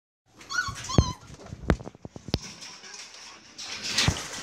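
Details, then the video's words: Belgian Malinois puppies at milk feeding time, giving short high whimpers and yips with feeding clicks and smacking, a few rising squeals near the start, then a broad hiss of noise toward the end. "Belgian Malinois Puppies Milk Feeding Time"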